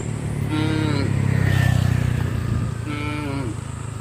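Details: Village-street cattle from a traditional farm give two drawn-out moos about two seconds apart, slightly falling at the end, over a heavy, constant rumble of a passing motor vehicle.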